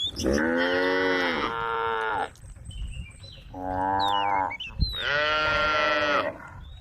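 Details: Three long, resonant moos from tame cows on a road calling friends, the middle one lower and softer, with faint bird whistles in the quieter gaps.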